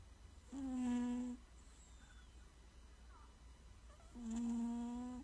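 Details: Snoring cat in a quiet indoor room, giving two even, buzzy, humming snores, each just under a second long, separated by about three seconds of silence as it breathes.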